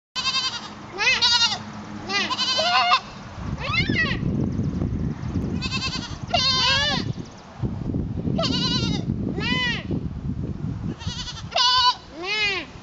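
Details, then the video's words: Goat in a herd, Piper trying to fit in, with about ten wavering, nasal bleats in quick succession, several overlapping, over a steady low rumble and background talk. "Piper being a goat"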